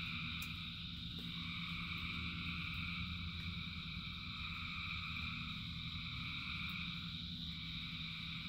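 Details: Massed frogs calling during rain, steady high trilling bands with a few sharp clicks and a low steady hum beneath the continuous chorus.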